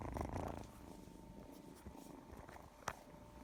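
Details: Cat purring while being affectionate in sunshine, a low continuous rumbling throb, slightly louder at the start, with a faint click later on.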